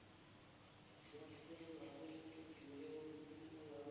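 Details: Nighttime insect chorus from a village in Indonesia: one continuous piercing high note holds steady while lower, wavering tones swell slightly toward the end.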